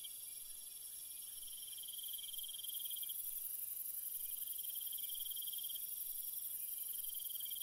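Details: Crickets at night in a calm natural setting: steady high trills layered in several bands, one pulsing band stopping and restarting, with a shimmering hiss above and nothing else intruding.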